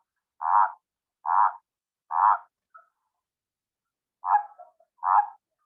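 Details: Male spined toad's song of pulsed, quacking croaks. Five short notes come at roughly one per second, with a two-second pause before the last two. No other sounds.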